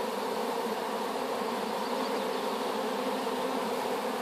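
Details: Continuous even droning of a honey bee swarm freshly placed in a hive after being gathered from an apple tree, a thick layered hum with no breaks.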